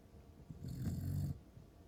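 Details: A sleeping Pembroke Welsh Corgi, heard by its owner at home, gives one low, rumbling snore lasting under a second over a faint background hiss.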